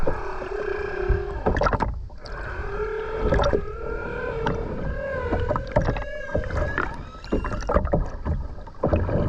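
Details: Song of a humpback whale heard underwater at the Ogasawara Islands, Tokyo, Japan, on 29 January 2022 during a skin dive; sustained mid-pitched harmonic moans, slightly wavering, interrupted by loud clicks and water crackle.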